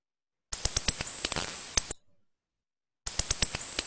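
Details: Eastern red bat (Lasiurus borealis) echolocating in Ontario gives sharp dry clicks that quicken into a brief feeding buzz; closing in on prey, it makes shorter, closer-spaced calls to update its position faster.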